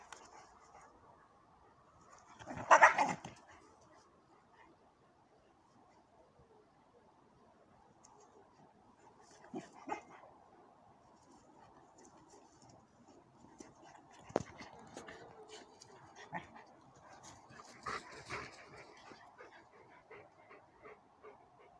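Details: A German Shepherd gives one loud, sharp bark, then a few softer, scattered barks; a 4-month-old long-haired shepherd and a short-haired shepherd are present.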